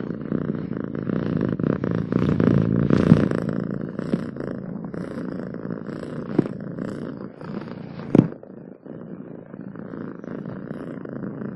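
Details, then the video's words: Cat purr, a deep fast rumble strongest in the first few seconds, steady through the clip, with a sharp knock or rustle about two-thirds through. "7 minutes of Cats Purring to make your day better!"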